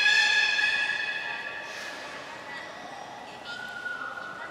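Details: Captive beluga in a short training session at Port of Nagoya Public Aquarium, 25 July 2021. A strong, nasal, many-layered tone opens and fades over two seconds, then faint thin whistles follow amid indoor room noise.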